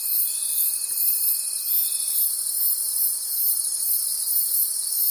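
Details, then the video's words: Nocturnal forest crickets producing a thick, high-pitched trilling chorus with regular pulses of loudness; a thin steady tone fades out after about two seconds. "Forest Sounds and Cricket Conversations at Night"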